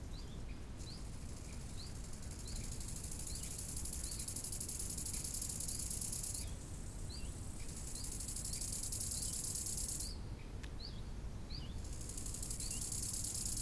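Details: Crickets at a lake in summertime: long stretches of high, hissing trill broken by short pauses, with a bird repeating brief rising chirps about every second, all over a low roar of wind.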